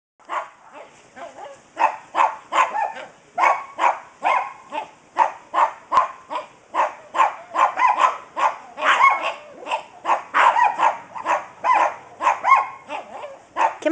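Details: Dogs outdoors at play barking in a fast, steady run of sharp, mid-pitched barks, roughly two per second, about twenty-five in a row with no pauses.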